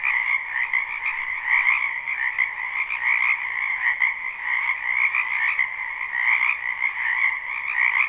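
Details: A wetland full of frogs in spring, recorded live: dense massed croaking forms a continuous buzzy trill, louder bursts from nearer frogs now and then, otherwise steady and free of other noises.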